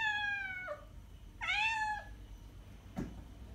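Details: Domestic cat meowing, played back to attract cats or prompt them to react: two drawn-out, harmonic-rich meows, the first sliding downward, the second rising briefly then falling, followed by a short dull knock in a quiet room.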